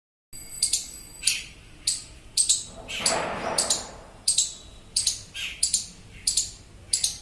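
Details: An Indian palm squirrel gives shrill, clipped, bird-like chirps in a rapid series, about one or two each second, calling a companion lost from its group; a brief hissing rustle passes midway through.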